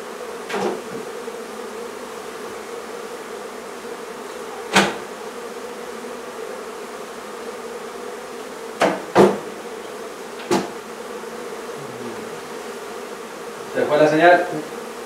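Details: Honey bees at a hive being removed from a barn in La Feria, Texas, in the hottest part of the day: a steady low hum of many bees, broken by several sharp knocks and bangs from the removal work.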